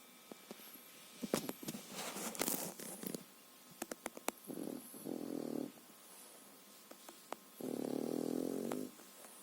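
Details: A three-and-a-half-month-old French Bulldog puppy sleeps, snoring in long, buzzy, rattling breaths like an adult, after a stretch of soft clicks and rustling.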